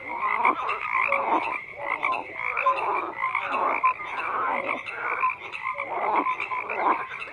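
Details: A crowd of frogs croaking at once: harsh pulsed croaks swell and fade in bursts about every second, with occasional short pure notes heard over the mass of calls.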